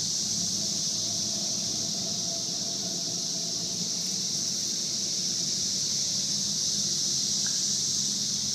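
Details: Swarm of 17-year periodical cicadas in Edison, New Jersey, on June 15, 2003: a dense, unbroken, high-pitched droning chorus that fills the air, with a faint low hum underneath.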